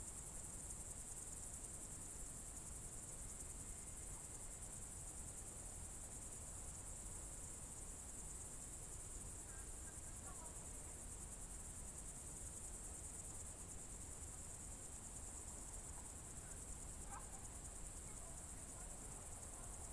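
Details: Crickets trill without a break on a June 2023 evening in the Novye Buregi tract, Novgorod Oblast, Russia. The sound is high and even, with a couple of brief faint bird notes near the middle and end, over low rumble.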